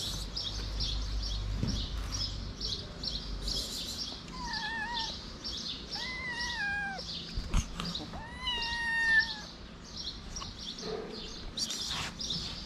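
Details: Feral street cat, a big-nosed cat keeping a kitten away by slapping it, gives three drawn-out, wavering meows in quick succession, each bending up then falling, with a steady low background hum and scattered clicks.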